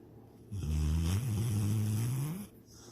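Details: A sleeping dog named Sydney, dreaming she is chasing a rabbit and swimming in the lake, gives a single drawn-out, deep, droning snore lasting about two seconds, steady and humming with a slight rise at the end.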